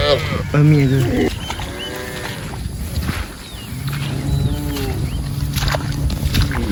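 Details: Herd of cows grazing across a rice paddy; a short loud moo opens, then softer lowing calls drift in the background among low droning noise and murmured sounds.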